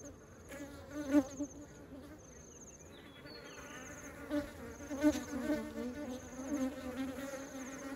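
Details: Honeybees ferrying honey into the hive; a constant low hum of many wings, with individual bees flying close and loud around one, five and six and a half seconds, plus a faint high whine overhead.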